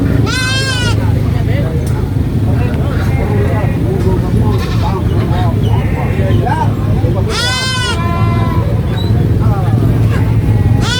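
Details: Baby goat screams on a farm: short, strained, harsh bleats at the start, middle and end, separated by long gaps filled with people talking and a continuous low motor drone.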